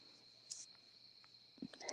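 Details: Crickets outdoors at night, a continuous high, steady trill running unbroken throughout, with a few soft clicks and brief rustles over it.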